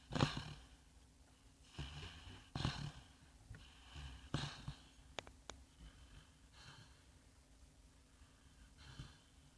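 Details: Asleep indoors, sand-coloured Labrador Retriever Bongo snores like a piglet: short raspy snorts at irregular intervals, about two dozen per minute, fading into faint breathing, with a couple of sharp clicks midway.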